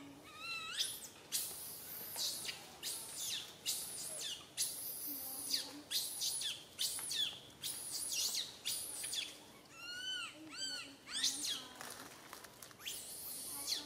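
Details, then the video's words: Little monkey Santo wailing on a branch while mother Sara fails to care for him; a long burst of piercing, noisy screams repeated in quick succession, broken by short arched whimpers. "Little Monkey SANTO cries on the branch tree so loudly Mama monkey SARA can't take care of him"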